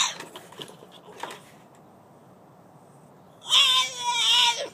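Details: French Bulldog shut outside, wanting to come in and hating being alone; faint tapping and shuffling at first, then after a quiet pause one long, high, wavering whine that falls slightly at its end.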